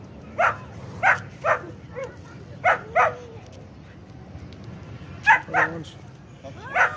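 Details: Barking from a Kohati Gultair bully dog: loud single and paired barks spaced irregularly across seven seconds, some ending in a falling yelp, with low murmured background noise between them.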